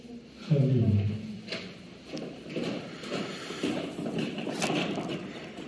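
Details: Amur tiger named Kirill, 11 years and 8 months old, February 23, 2021: a single deep, throaty moan sliding downward near the start, followed by shuffling movement and scattered knocks.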